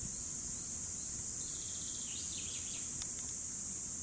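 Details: Cicadas singing in 2017, an unbroken high, shrill buzz that never pauses, with a few thin falling bird chirps mid-way and a soft click near the end.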